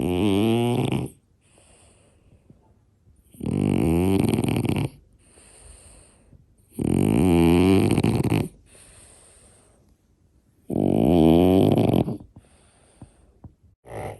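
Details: Sleeping French Bulldog snoring loudly, described as louder than a person: four long, harsh, rattling snores about every three to four seconds, each a droning buzzy inhale lasting over a second, separated by near-silent pauses with faint breathing.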